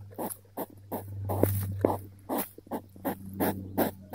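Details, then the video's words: Hedgehog getting curious as it approaches, sniffing and grunting in quick puffs spaced roughly every half second, a few sharper clicks among them, with a constant low drone behind. "Approaching hedgehog getting curious, sniffing, grunting and leaving"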